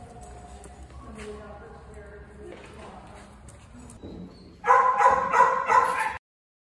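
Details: Jonnie, an Australian Cattle Dog available for adoption, recorded on 14 March 2024 in the afternoon; a low background hum and faint murmurs give way to a short run of about three loud, harsh barks in quick succession before abrupt silence.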